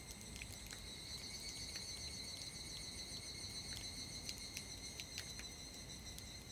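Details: Higurashi cicada singing on a summer evening after a passing shower: a steady, shrill, high ringing tone holds throughout, broken by frequent sharp clicking accents, over a soft, even background hiss.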